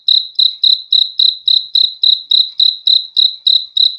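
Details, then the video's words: Crickets chirping in an even, high-pitched rhythm: short bright pulses repeated about three and a half times a second, with no other sounds. "BEAUTIFUL SOUND OF CRICKETS"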